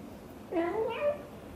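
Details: Blue golden British Shorthair mother Xaxa chatting with her tiny kitten Piano as she hugs it tightly; one clear two-part meow, a low opening sliding up into a brighter, higher ending, in a quiet indoor room.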